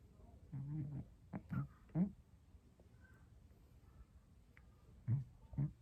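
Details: Scottish Straight cat snoring indoors; short low rasping snorts come in uneven bursts, a cluster in the first two seconds and two more after a quiet pause near the end.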